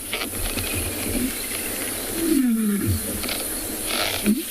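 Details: A lion roars in a deep, powerful voice sliding downward over steady hiss, on a warm 34-degree sunset game drive on 10 December in Tswalu Kalahari Reserve, South Africa, near a lioness with two sub-adults.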